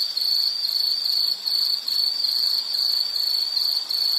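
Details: Insect calling with a piercing pulsed trill that drops out briefly a few times, near the second and fourth seconds. Otherwise steady and bright, nothing else audible.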